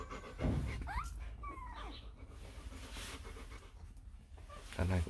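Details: Litter of four-day-old Rottweiler puppies, offspring of Vietnamese champion Loki Gervi and Faye; thin squeaky whines rise and fall briefly amid soft snuffling breaths, with low thumps near the start and end.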